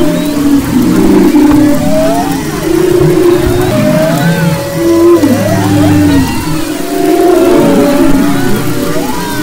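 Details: Humpback whale vocalizations recorded off the west coast of Maui, February 22-24, 2011: rolling moans with downward-bending slides, a droning low note held for seconds, and higher curling whistles layered above.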